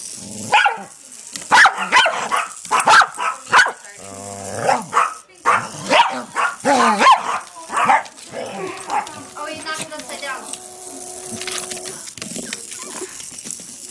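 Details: Pet dogs Patrick and Mia barking at a Hexbug toy they flip over; a run of sharp yappy barks, then a short growl, while a person talks and a thin electronic buzz sounds near the end.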